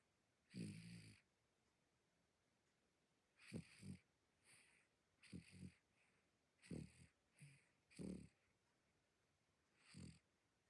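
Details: Little sleeping dog snoring loudly, with short rough bursts of breath separated by pauses of one to three seconds, some doubled into quick snuffles, in an otherwise silent room.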